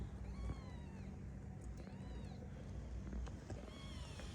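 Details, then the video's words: A domestic cat gives repeated meows, three drawn-out arched calls spaced about one and a half seconds apart, against low rumbling background noise. "বিলাই মেউ করে"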